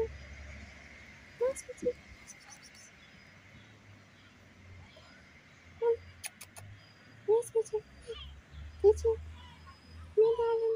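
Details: Wary stray kitten, distrustful of people, calls in brief high mews scattered through a quiet stretch, first singly, then in quick clusters of two or three, ending with a longer drawn-out mew; faint steady whine in the background.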